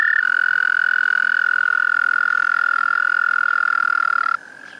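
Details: Tiny, loud, melodious frogs sing in a park pond; one gives a long, steady, high trill that holds one pitch for over four seconds, then stops.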